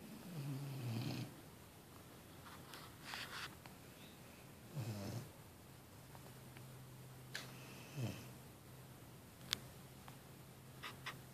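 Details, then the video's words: A 6-month-old female Vizsla, worn out after a beach workout with her 4-year-old brother in Brigantine, New Jersey, snores in slow, low rumbling breaths spaced several seconds apart. "Vizsla snoring"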